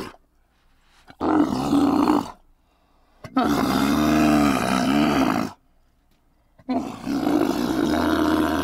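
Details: Domesticated dromedary camel, a working animal, giving three long, loud, rough bellows, each lasting one to two seconds with deep, buzzy, strongly layered tones, separated by short silent pauses.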